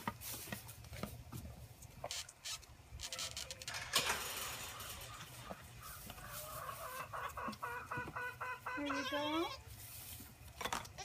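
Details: Orphaned baby Boer goats feeding from a six-bottle wooden feeder, iPhone recording from the gate; clattering and rustling noise first, then a series of choppy bleats ending in a tremulous, wavering cry, with a woman's voice.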